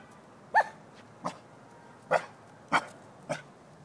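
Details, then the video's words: Short barks from a Shiba Inu confronting a jack-o'-lantern pumpkin, five sharp yips spaced roughly every half second to second, the first loudest, over a quiet indoor background. "Rinji barking at jack o lantern"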